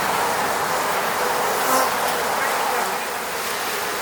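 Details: Bees from the Moscow region swarm around their hive at an eco-apiary, filmed on a Sony a7 III camera; a dense, steady hiss-like hum fills the air, with a brief, slightly louder tonal drone near the middle as one bee passes close.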